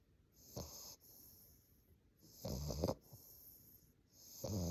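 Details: Snoring from an English Bulldog puppy fast asleep, loud throaty rattles about every two seconds, separated by breathy hissing inhales.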